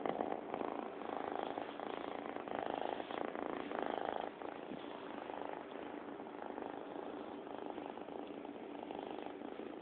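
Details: Bobby the cat purring close up, a steady rhythmic rumble with gentle pulsing swells roughly every second, softening slightly midway and continuing evenly.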